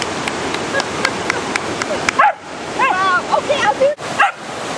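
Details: Two-and-a-half-year-old miniature poodle named Luca, obsessively fetching big sticks in a fast, cold mountain creek in Wyoming; sharp barks and whiny yips arrive in a quick burst over steady rushing water.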